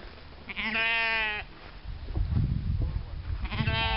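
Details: Sheep bleating: a long wavering harmonic bleat of under a second, then rumbling low noise, and a second bleat beginning near the end.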